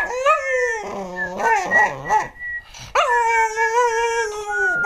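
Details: American Cocker Spaniel Džo singing in 2008: a falling howl, a burst of quavering whimper-like notes, then a strong steady howl held for about two seconds.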